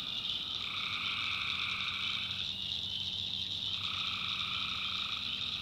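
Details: North Carolina tree frogs at night in the backwoods, a loud continuous high trill; the mid-pitched voices stop after about two and a half seconds and resume a second later.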